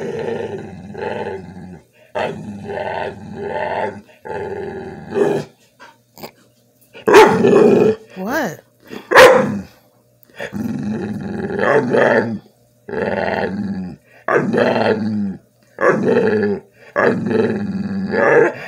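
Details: A male Bull Terrier begs for food with drawn-out, grumbling "talking" moans and whines in repeated bursts. Afterwards his owner asks whether he wants a treat.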